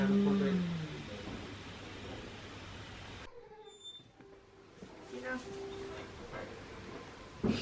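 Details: Goat at Yoshigake Farm in Himi, Japan, on 9 March 2019: Kinako, a mixed-breed mother under a year old, never taking her eyes off her newborn kid. A loud, low, falling bleat fills the first second, then quiet with faint scattered sounds.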